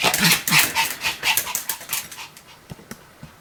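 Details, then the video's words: Pomeranian dog in continuous barking: quick, sharp, high yaps about four per second, loud at first and gradually fading to softer, sparser barks. "犬の鳴き声 ポメラニアン サムちゃんの連続吠え集"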